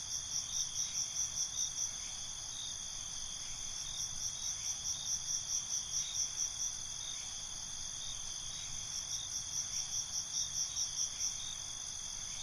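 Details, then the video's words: Crickets in night ambience, a steady high shimmering trill under bursts of rapid chirps that come in runs of about two to three seconds, pausing and starting again, with faint low background hiss. "Night ambience, Cricket Conversations"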